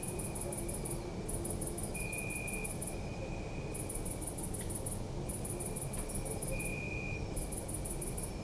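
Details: City park at night with crickets, captured on a Zoom F3: high rapid chirp bursts lasting one to two seconds with short breaks, a lower continuous trill intermittently louder, steady low-frequency city noise and a few faint clicks.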